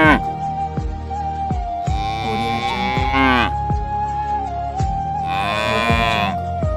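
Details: Homeless cows in Haryana, given food: two long, strained moos that swell and then bend downward, a few seconds apart, beneath a sustained flute-like note and rhythmic music.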